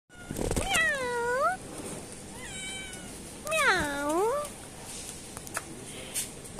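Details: Kittens on a grocery shop rooftop meowing hello: two loud drawn-out meows, each rising then falling, with a softer short meow between them, over steady background hiss and a voice speaking just afterwards.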